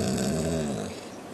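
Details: Ten-month-old male Bullmastiff named Dirty von Butchenstein singing on command: a low, drawn-out, cow-like moaning howl with rich harmonics, slightly falling in pitch and fading away within about a second, indoors.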